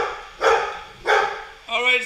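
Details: Golden Retriever SirJi confronting a Roomba lets out two forceful barks, spaced about half a second apart, followed by a person's voice speaking at the end.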